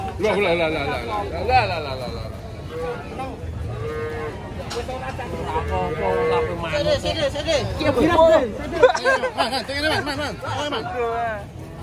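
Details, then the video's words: Rampaging bulls being unloaded from a truck, with deep harmonic moos rising and falling amid constant shouting and chatter from a crowd of people. "BANTENG NGAMUK TURUN TRUK"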